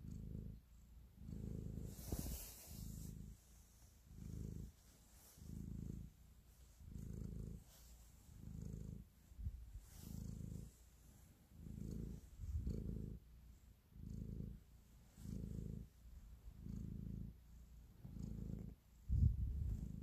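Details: Affectionate pet cat purring as it kneads; steady low rumble pulsing in even phrases about every 1.3 seconds for the whole stretch, with a soft rustling noise early on and a small bump near the end.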